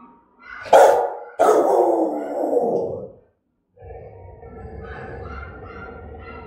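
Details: Fierce Rottweiler barks meant to provoke other dogs: two powerful barks, the second stretching into a rasping growl, then a pause and a steady, lower mix of whining and background sounds.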